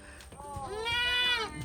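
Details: Baby goats at an animal sanctuary crying for their bottle because they are hungry; a loud, strained, wavering bleat swells and fades over about a second, with footsteps and small knocks around it.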